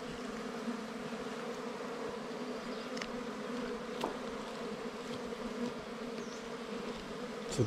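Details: Droning of wild bees disturbed at a nest during a honey hunt. An unbroken, even, low buzz fills the whole stretch, and scattered sharp taps and clicks from handling sound over it.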